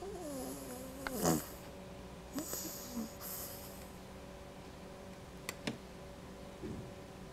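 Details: Quinny, a female pet dog, snoring while asleep indoors: a few soft, breathy rasping snores spaced irregularly, with a quiet steady hum in the background.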